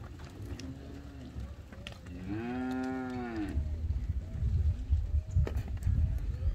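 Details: Aberdeen Angus heifers, one of a lot of 32 yearlings in Alegrete, giving a single drawn-out, richly harmonic moo lasting about a second. Quieter low lowing and scattered clatter come before and after it.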